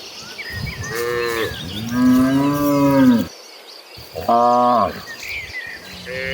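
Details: A herd of cattle running toward green pastures moo in long, drawn-out, rising and falling calls, one after another.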